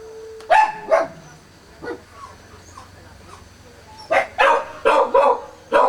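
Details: Four-day-old Kishu puppies, born 16 September 2020, crying: two sharp high squeals early on, a softer cry and faint murmurs, then a burst of four or five quick squeals toward the end.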